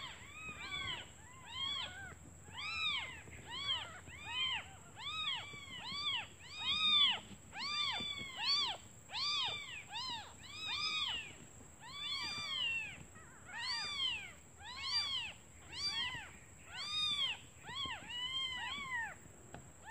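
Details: A litter of newborn kittens calls nonstop for its mother, out searching for food, driven by hunger; dense overlapping rising-and-falling meows repeat rapidly for the full stretch, loudness pulsing in waves, with a constant faint high whine.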